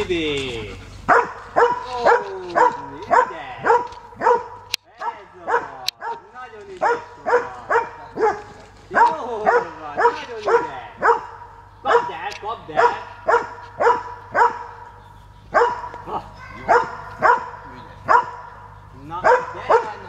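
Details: Transylvanian hound barking; sharp, loud barks come in quick bursts about twice a second with short pauses between runs, while a man briefly speaks at the start.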